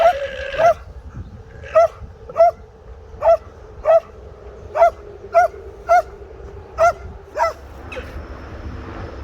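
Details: Alarm sound of an alpaca: a long run of about eleven short, sharp, nasal shrieks, evenly spaced roughly every 0.6 to 0.9 seconds, each briefly rising then falling. A soft rustle follows at the end.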